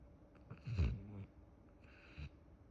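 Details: Akita Inu snoring while asleep and dreaming: two soft, low, rasping breath sounds about 1.5 seconds apart. The first is louder and carries a brief grunting tone. The room is otherwise quiet.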